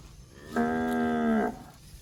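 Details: One clear, level moo of about a second from a fat cow eating grass in bushland, rich and droning, against quiet background.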